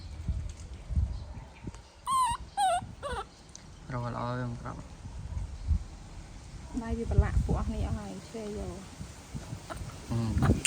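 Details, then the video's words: Baby monkey throwing a tantrum as its mother leaves: shrill squeals and wavering screeches in short bursts, interspersed with people talking in Khmer and background rustling. "Adorable Baby Monkey Tantrum When Mom Leaving"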